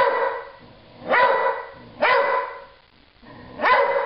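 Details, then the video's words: Dog named Stella barking at nothing, three rich, harmonic barks spaced roughly a second apart, each starting sharply and fading slowly, with quiet between them. "Stella barking at nothing."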